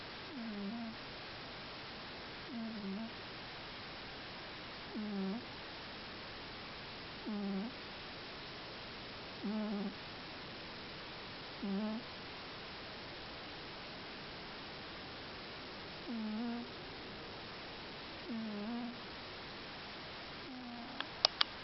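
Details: Scottish Fold cat fast asleep and snoring softly: short, wheezy puffs repeat about every two seconds in a steady rhythm over faint background hiss, followed by a few clicks at the end.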